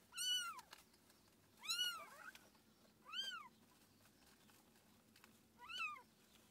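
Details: A cat family of mother and kittens: four loud, shrill mews, each a bright arched note with a falling end. They are spaced roughly one and a half seconds apart, with near silence between.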